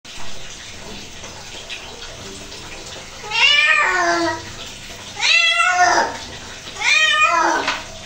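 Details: Domestic cat protesting while being bathed gives three drawn-out, wavering meows, each about a second long and spaced a couple of seconds apart, over a steady hiss of running water.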